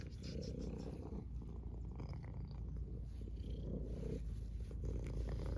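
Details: Pet cat giving a continuous deep purr, a dense low vibration that brightens briefly with each inhaled or exhaled breath roughly once per second, close and even throughout with no other clear sounds.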